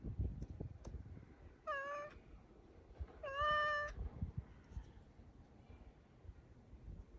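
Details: Indoors, black cat Ponzu sends two brief, tonal, slightly rising calls toward a crow outside, about a second and a half apart. Low thumps and handling noise fill the pauses.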